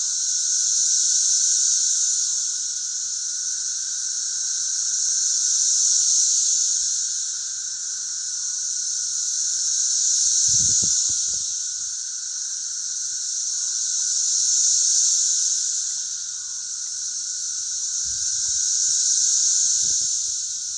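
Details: Cicadas singing together in a chorus along a country road in Missouri: a continuous, dense high-pitched buzzing drone with a steady lower tone beneath, swelling and fading in slow waves about every four seconds, with a few faint low thumps.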